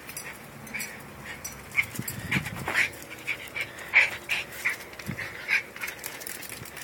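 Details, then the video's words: Jack Russell Terriers in hyper mode, one named Fall running around like mad during play: short high whimpering whines repeated at irregular intervals of under a second, with panting and light rustling between them. "Jack Russell Terriers in hyper mode"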